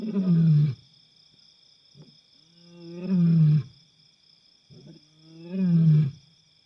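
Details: Wild African lion roaring at night on safari in Africa: three deep, moaning roars about two seconds apart, each swelling and then falling away, with a faint steady high whine running throughout.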